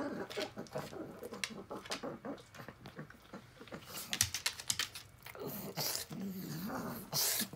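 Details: Rabi, a blind and deaf 16-year-old female pug, eating tuna indoors: wet smacking and licking clicks, short snorty grunts and a brief low nasal whine near the end.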